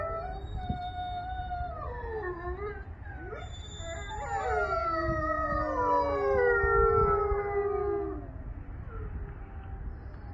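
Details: A gray wolf pack howls together in the evening, long gliding notes rising and falling across each other.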